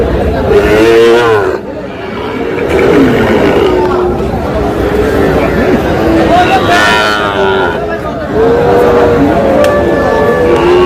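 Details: Sahiwal bull calves at a crowded cattle market in Kushtia, Bangladesh. A drawn-out lowing moo rises and falls early on, and a second long moo comes near the end, over constant men's voices and bargaining chatter.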